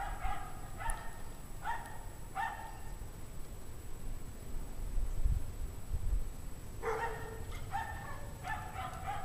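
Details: Dogs in a pack bark at dusk, 5:00 PM, January 9, 2009, in 17-degree Fahrenheit cold; a few spaced single barks early, then a quicker volley of barks near the end, with steady low rumble beneath.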